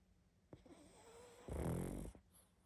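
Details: Pug asleep indoors, snoring heavily: a loud, rough, low snore lasting about half a second, preceded by softer breathy sounds.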